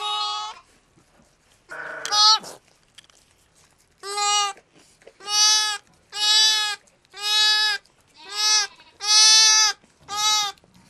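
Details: Just-born lamb triplets at Apple Pond Farm, Sullivan County, New York, October 2010, giving a steady series of about eight even, bright bleats spaced roughly a second apart, with a short scuffle early on.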